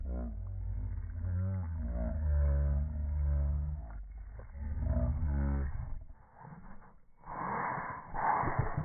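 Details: Boston Terriers squabbling over a ball, gumming at each other: a long, low, rumbling growl that holds steady for several seconds, then breaks into rougher, broken snarls and a louder burst near the end.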